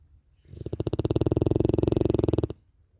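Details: Larissa, a Cane Corso dog, snoring in an unusual way: one steady two-second run of rapid, rattling, throaty pulses, a deep buzzing snore that starts and stops abruptly against a quiet room.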